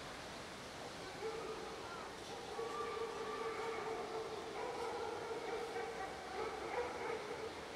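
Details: Cat, hungry, sitting and waiting for its owner, giving long, drawn-out meows that hold a steady, tonal pitch for several seconds, with faint overlapping calls and a low background hum.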